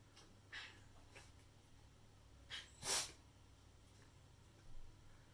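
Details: Shiba Inu named Kotao, sneezing unusually often, possibly from hay fever; a few soft snorting breaths lead up to one sharp, loud, broadband sneeze near the middle, then quiet breathing and a fainter puff, over a steady low hum.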